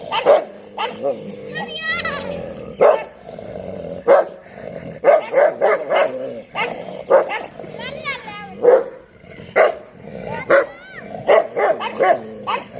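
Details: Street dogs in a rainy-season fight: a dense run of sharp barks roughly every second, with snarls between them and high, wavering whines and yelps sliding up and down.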